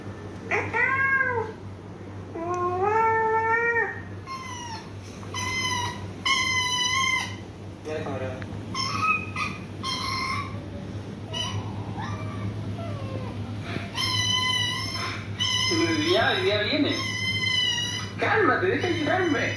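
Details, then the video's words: Meowing around Machun, a domestic cat puzzled by videos of meowing cats: a dense run of short, bright meows, some arched and some flat and held, overlapping near the end, over a constant low hum. "Machun gets confused by the meowing videos"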